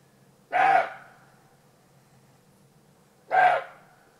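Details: Two deep, raspy barks from a roe deer in Alsace, France, each about half a second long and nearly three seconds apart, in otherwise quiet surroundings.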